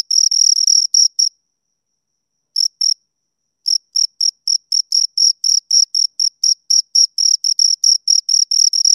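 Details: High cricket chirps from two crickets, a quick run of pulses that stops for more than a second, resumes with two chirps, pauses again, then settles into a steady rapid rhythm to the end.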